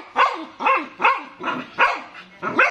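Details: Stud Siberian Husky giving a run of six loud yelping barks, about one every half second, each with a bright, slightly wavering tone that falls away quickly; little else audible.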